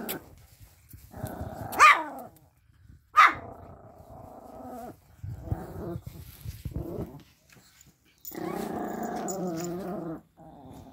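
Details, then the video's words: Toy Pomeranians, puppies and adult dogs, at play on a bed: sharp high yelps at the start, then sustained grumbling growls in several bursts, the longest near two seconds. "Pom puppies and dogs playing"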